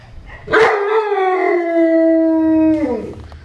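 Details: Howling Newfoundland dog: a sudden onset leads into a sustained, level, harmonic wail lasting over two seconds, ending with a brief downward slide.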